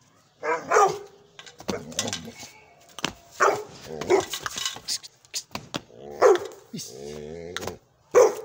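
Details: Powerful barking from a young Gull Terrier: loud single barks at irregular gaps, mixed with a person talking and a brief drawn-out vocal sound between barks.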